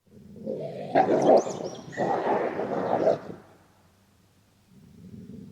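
A wolf gives two harsh, rumbling growls, each about a second long, then falls quiet.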